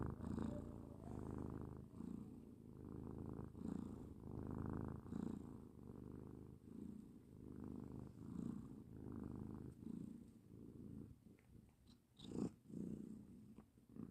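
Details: House cat snoring in a long run of low, gravelly breath cycles at a regular pace. A couple of sharp clicks sound near the end.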